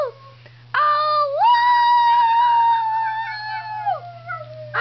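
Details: Piper, a Schnauzer, begins with a short rising call, then swells into a long steady howl that fades and drops in pitch at the end; a low constant hum underlies the recording.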